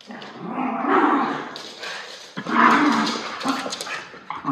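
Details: Levi and Lucky, Miniature Schnauzer brothers, feisty and chasing each other immediately after haircuts, August 8, 2021. Two drawn-out guttural growls, each about a second long, with a short yip at the end.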